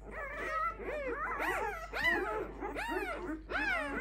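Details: Five-day-old Clumber Spaniel puppies from one litter whine and squeal, with louder arched, wavering cries rising and falling, several pups calling over each other in clustered bursts roughly every second, and a steady low hum behind them.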